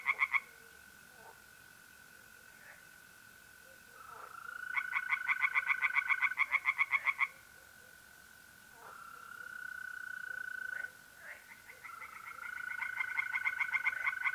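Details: Pond tree frogs on a mid-April night in north-east Italy, alongside trilling mole crickets. Three bursts of rapid, ringing pulses break in over a continuous, even insect trill that carries on between the frog bouts.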